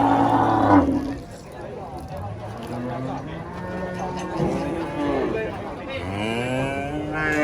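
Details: A huge cow is loaded under a tree and turns wild. It gives a strong, deep moo at the start, then several lower, shorter moos follow at irregular intervals over a busy background of voices and noise.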